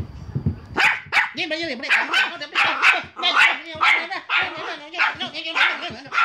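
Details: Pomeranian. A Pomeranian barks rapidly in sharp, high, yappy bursts that come two or three to the second. The barking runs on without a break, and a human voice may be faintly mixed in.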